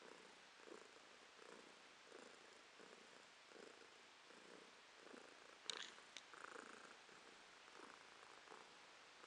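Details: A pet cat purring indoors in November 2022: a soft, steady rumbling purr in rhythmic pulses about every seven-tenths of a second, quiet and close, with a brief rustle midway.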